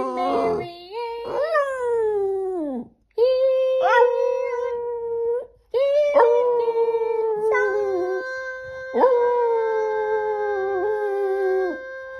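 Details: Boston Terrier howling to the Gilligan's Island theme tune, a series of five or six long, musical howls. Each starts with a rising yelp, then holds a steady pitch and sometimes falls away, with brief gaps between phrases.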